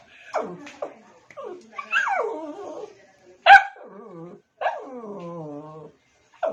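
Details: Household pet dog trying to get another dog's attention, giving a series of falling whines and yelps, several long tonal whimpers with rich harmonics, separated by short silences.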